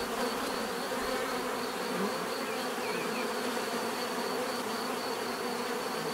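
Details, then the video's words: Bees buzzing together in a continuous thick drone, the hum unbroken and even in volume, stacked tonal bands giving a rich swarming texture, a thin high whine steady over it all. "bees therapy relaxing natural buzzing sound"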